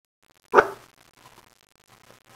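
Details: Roxy, a Pomeranian with a summer haircut, is at first scared of a stuffed dog and later wants to play with it. She gives a single sharp, loud bark, then a person speaks softly, reassuring her that it's okay.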